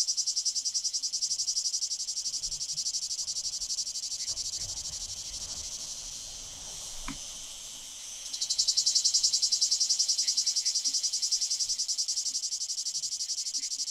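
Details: Male Lyristes plebejus cicada singing at Fondon in Andalucia, Spain, 9 July 2022: a continuous high, rasping drone pulsing rhythmically, fading briefly in the middle before surging back louder and harsher.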